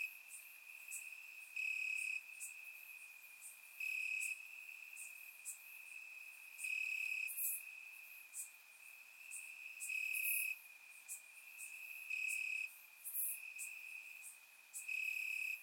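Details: Summer night chorus of grass crickets in Bulgaria, surround-recorded: a persistent high trill forms the bed, with loud chirping bursts recurring every two to three seconds and softer rapid pulsing between them.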